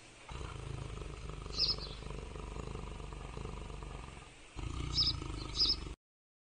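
A cheetah gives a steady, low rumbling purr broken by a few brief, high, bird-like chirps.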